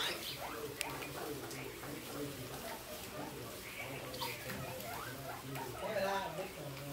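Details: A guinea pig gives a run of short, high squeaks over a low murmur of voices.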